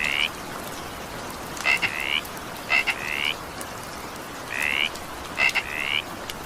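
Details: Evening rain with a frog calling: brief upswept croaks, some doubled with a click-like onset, spaced about a second apart, set against continuous rain noise.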